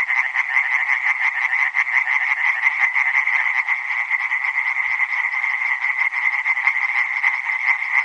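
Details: Continuous chorus of tree frogs, harsh rapid pulses from many animals overlapping into a steady buzzing wall of sound, with faint brief dips in loudness.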